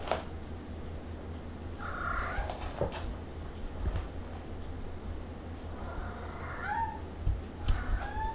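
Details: Maine Coon kittens playing indoors at a breeder in Tokyo, Japan; short, thin rising meows around the second mark and a cluster of three more near the end, over a steady low hum with soft knocks.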